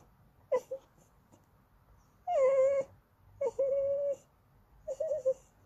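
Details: Goldendoodle puppy whimpering for snacks or petting: thin, clear whimpers, some short and some drawn-out and level, four spaced bursts over quiet background.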